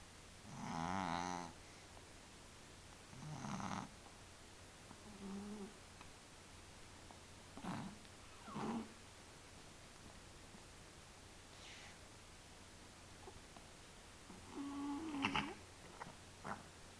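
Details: Male domestic cat with a sinus problem snoring indoors: a few short, rough, nasal snorts with buzzy tonal overtones, the loudest at the start, then quieter irregular breaths separated by pauses of one to three seconds.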